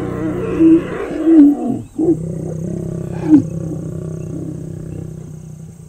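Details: Lion roaring at night in Kenya's Mara conservancies, recorded close from a safari vehicle: deep, loud, drawn-out roars with strong low harmonics, swelling and fading in several bursts over an idling engine hum.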